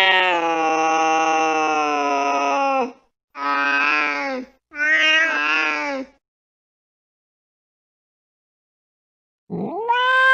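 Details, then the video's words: At night a cat chasing a mouse lets out a sustained wail of about three seconds, then two shorter wavering meows. A long silence follows, and a new rising cry begins at the end. "tiếng mèo đuổi chuột trong đêm khuya"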